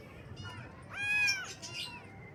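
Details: Baby kitten meowing in the morning: one clear, strong, drawn-out mew with rich harmonics, preceded and followed by fainter shorter mews and a little high chirping.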